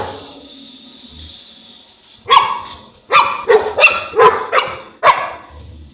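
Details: Boerboel, a South African Mastiff, one of a pair of dogs living in Egypt, barking: about two seconds of quiet room tone, then seven deep, loud, harsh barks in quick, uneven succession.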